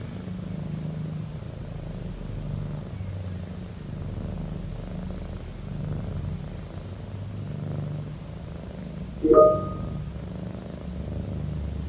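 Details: Relaxed domestic cat giving a loud, low purr in regular breathing waves, while a single bright mallet-like tone rings out once near the ninth second.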